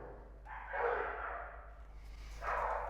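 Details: Several dogs kept at a dog school bark back and forth in rough, mid-pitched bursts, answering one another, communicating among themselves and showing off around 14:00–15:00 feeding and walking time; nothing was wrong.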